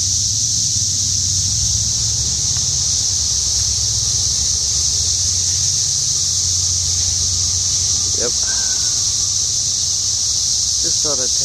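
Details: Outside a house, a mass of cicadas keeps up a constant high whining drone while a man's voice and a low hum sit underneath, with brief clicks late on.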